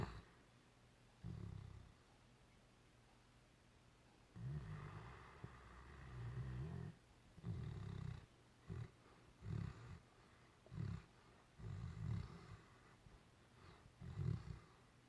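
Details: Great Dane snoring while asleep and dreaming: deep, rumbling snores in irregular bursts of one to two seconds, separated by quiet pauses, in a still room.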